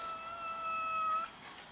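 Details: Domestic cat meowing while cats fight each other over food: one long, steady, drawn-out meow of about 1.2 seconds with a rich harmonic tone, ending abruptly, followed by a quiet background.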